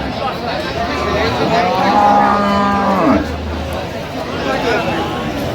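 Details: Cow with calf at the Aftabganj cattle market in Dinajpur, late October: one drawn-out, harmonic moo that swells and then slides down over about two seconds. Buyers and sellers haggle over teeth and milk yield, with market chatter and music behind.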